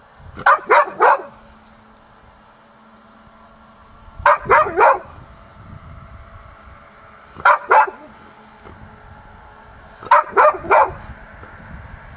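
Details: A Golden Retriever in Hokkaido, excited at sensing its owner's presence, barks in quick bursts of two or three, with a low steady hum behind.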